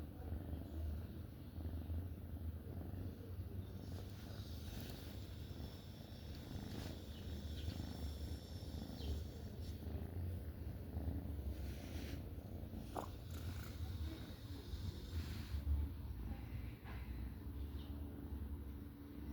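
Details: Black female kitten fast asleep in a relaxed sprawl, purring and snoring gently; steady low rumbling throughout, with a few faint clicks and soft rustling noises.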